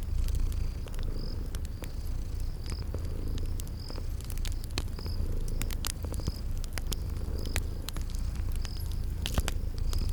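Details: Sleeping cats purring near a crackling fire amid spring garden ambience; an unbroken low rumble of purring continues under frequent sharp crackles and steady, evenly spaced high cricket chirps.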